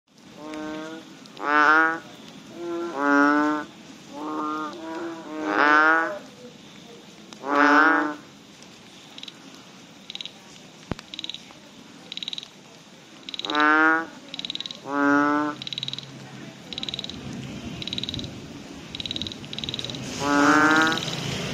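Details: Banded bullfrogs calling after rain give deep, nasal, moaning croaks, each about half a second, repeated in uneven bursts.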